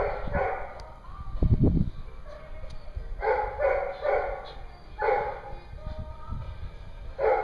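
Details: Barking at a dog daycare in Hooksett, New Hampshire, on April 21, 2016: short clusters of harsh barks spaced a second or two apart, a heavy thump early on, and a constant background hum.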